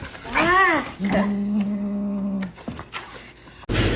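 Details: Kitten gives one loud, arching meow, then a long, flat, steady drawn-out tone, with indoor room noise and a sudden burst of noise at the close.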